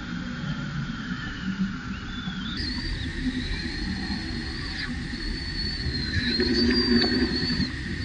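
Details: Angry baby macaque, jumping about in a temper, cries in a drawn-out high-pitched wail that slides upward and then holds with small wobbles, over a steady lower hum and rough low background noise.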